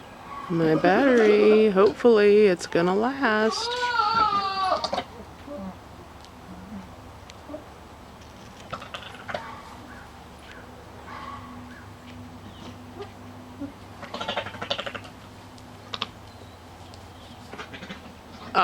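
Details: Nigerian Dwarf goat during breeding time, giving loud, quavering bleats with a strong tremble across about five seconds, two drawn-out calls close together, followed by a quieter stretch with soft human voices and faint farm background.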